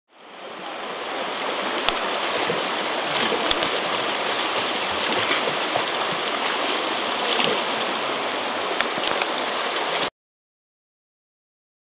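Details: Continuous rushing river water with a few splashes, ending abruptly in silence after ten seconds.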